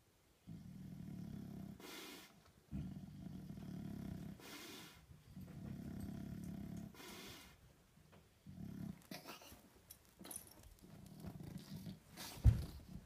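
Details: English Bulldog lying stuck on his back like a turtle, giving low throaty grunting and snorting rumbles in repeated bursts, each lasting one to two seconds, with short breathy gaps and rustling between them.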